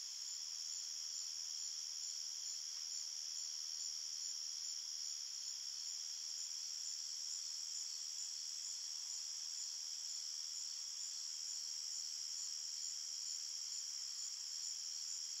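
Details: Night-time forest crickets form an unbroken, shrill, shimmering drone of many overlapping chirps that stays even in loudness throughout.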